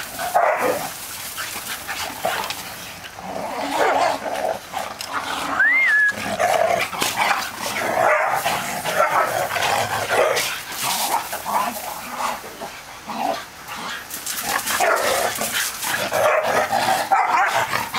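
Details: Four dogs (a pit mix, a Ridgeback mix, a Puggle and a Yorkie) playing together to burn off energy; dense overlapping rough barks and yips throughout, with scuffling noises and a short high whine near the middle.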